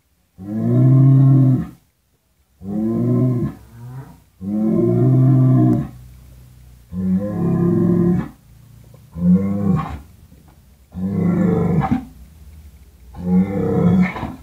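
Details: Repeated mooing from cattle: seven low, hoarse moos over about fourteen seconds, the later ones shorter and rougher, with brief pauses between calls.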